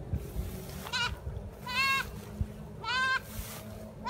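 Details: Kid goat excited over freshly cut fodder gives a quick run of quavering, high bleats, about three in four seconds, each a short tremulous 'meeh', against a low murmur of background noise.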